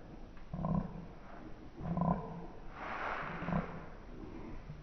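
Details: Slowed-down tug-of-war play by Wookie, a male Alaskan Malamute: three deep, moaning growls about 1.5 seconds apart, each with layered low harmonics, over a faint background rumble.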